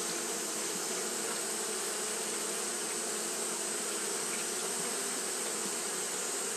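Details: Steady wing-fanning drone of Japanese honey bees on a hot day, a uniform buzzing hum over broad airy hiss, without pauses or other animal sounds.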